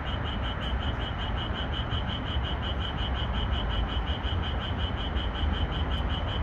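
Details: Moonlit night in a red pepper field with Japanese tree frogs singing, edited for more calling: a quick train of evenly spaced nasal croaks, roughly four each second, above constant low-pitched background rumble and a faint click.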